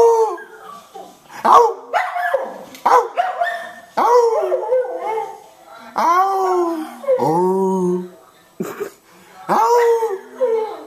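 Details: Cardigan Welsh Corgi joining its owner in song, giving a series of short bent howls and yelping wails, some dipping lower and curving, interleaved with the man's voice.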